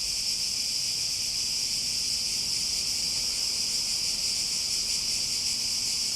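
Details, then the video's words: Cicadas in a steady, dense chorus: an unbroken high buzzing hiss with the strongest band in the upper treble, holding an even level throughout, with no other clear sounds. "Relaxing Sounds With Cicadas"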